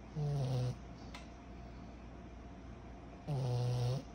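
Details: Snoring pug puppy, 14 months old, asleep: two deep buzzing snores about three seconds apart, each a low drawn-out rasp with a faint nasal whistle, quiet room between.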